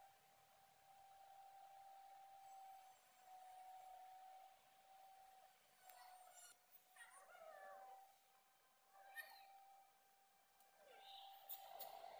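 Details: Pet cat in Sri Lanka giving a few short, bending meows in the second half, each rising then falling, over a steady electrical hum and scattered clicks and knocks.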